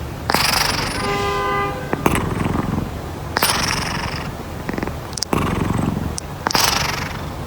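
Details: Loud snores from a sleeping pet cat: long noisy rasping breaths roughly every one and a half seconds, the first one holding a steady buzzy hum, over a low rumbling background.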